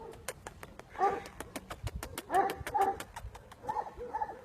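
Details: Aksaray Malaklısı dog on a Malaklı farm gives short, tonal whining and yelping bursts in several groups over a few seconds, with a steady ticking click running through the background.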